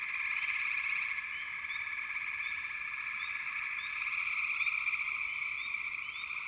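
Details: Frogs in full chorus, a steady high buzzing trill with short rising chirps repeated roughly three times a second, loosely timed, over the continuous drone.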